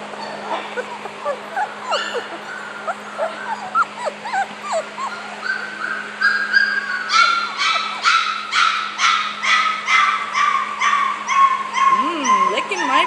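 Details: Happy four-week-old male puppies give squeaky rising whines, then a run of sharp repeated yips about twice a second, over a steady low hum.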